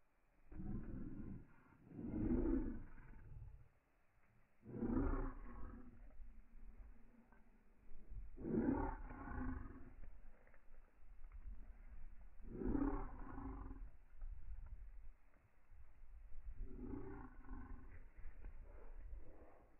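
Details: German Shepherd named Evo, on day 408 of its life log, playing with its owner; deep rumbling growls come in loud bursts roughly every two to four seconds, with quieter grumbling between them.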